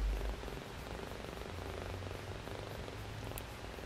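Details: Four-week-old shaded silver Persian male kitten, bottle-fed since three weeks old after his mother ran out of milk; a soft, steady low purring rumble runs under faint hiss, with brief speech just before.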